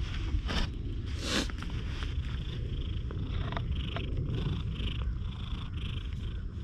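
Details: One-eyed stray cat, very friendly, purring continuously in a low even rumble, with brief rustling bursts near the start.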